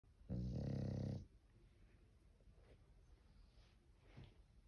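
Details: English bulldog snoring indoors: one loud, low, rasping snore lasting about a second with a buzzy harmonic rumble, followed by quiet breathing and faint soft sounds.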